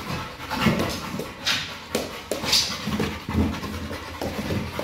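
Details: Pit bull named Kral playing with a Pilates ball, heard as rough, breathy bursts of panting and snuffling at an uneven pace, with scattered louder huffs and soft background clatter.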